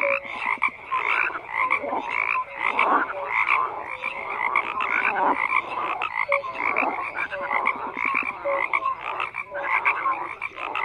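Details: Frogs croaking en masse, harsh pulsed croaks and clicking bursts overlapping, a few tonal blips, the din swelling and dipping but never stopping.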